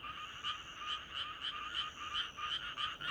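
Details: Japanese treefrog chorus on a summer night: bright, raspy croaks repeated about three times a second, overlapping into a steady din that drowns out the endangered Suwon treefrog's song.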